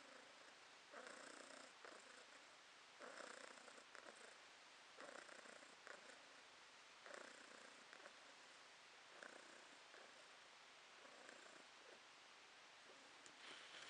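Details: Purring from Podushka, a pet cat, recorded August 2022: slow, even purr cycles returning roughly every two seconds, each a buzzy throaty rumble rising and fading with the breath, against quiet indoor background.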